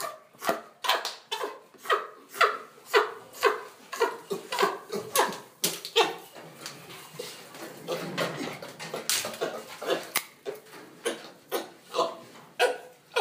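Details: Chimpanzees at breakfast at Chimpanzee Sanctuary Northwest: a steady run of short, hoarse, grunt-like calls, roughly one every half second with uneven spacing, indoors, with some human voices mixed in.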